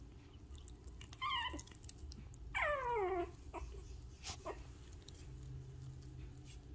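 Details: Six-week-old Shih Tzu puppies indoors just after a bath: two high, thin whines, each sliding steeply downward in pitch, the second longer, followed by faint shuffling in a quiet small room.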